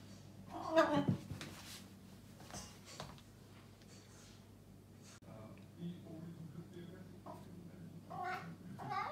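A Maine Coon cat makes a burst of rapid, warbling chirps that run together into a turkey-like gobble. Shorter trills follow after a quiet stretch, a sound this cat makes when excited or confused.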